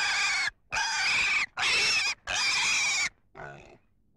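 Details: Pig squealing in four long, piercing, strained bursts of about half a second to a second each, separated by short pauses, ending with one quieter, rougher grunt.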